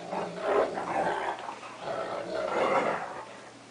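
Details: Playful scuffle between a cocker spaniel and a big wolf-akita mix dog; continuous gravelly growls rise and fall in two or three loud swells.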